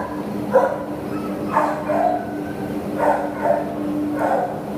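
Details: Dog barking, a terrier up for adoption, recorded 27 September 2015: four short, hoarse barks spaced about a second apart over a steady low electrical hum.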